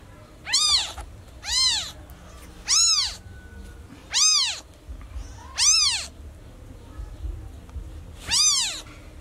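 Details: Newborn cat calling very loudly after losing its mother; seven bright, peaked mews, some close together and others after a pause, each climbing then sliding down, with a low background murmur.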